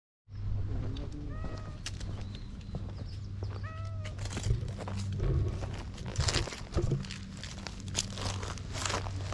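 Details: Stray cat in a park, approaching to be petted; a few short, bent meows with clear harmonics, three spaced near the start, over a steady low hum and rustling footsteps.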